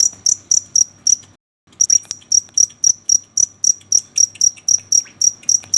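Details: Cricket chirping at night: sharp, high, even chirps repeated roughly four times per second, a brief silent gap after the first second, then a steady unbroken series of about sixteen chirps; faint low hum underneath.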